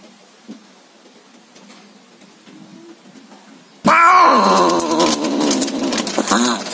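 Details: Cats mating, a village cat with an Angora, scream loudly: faint low murmurs give way to a sudden loud, wavering, harmonic-rich yowl that holds for nearly three seconds.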